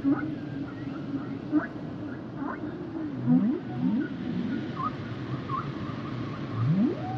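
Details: Humpback whales singing: a wavering low moan, several upswept cries and short high tonal chirps follow one another irregularly, with a dense low underwater background.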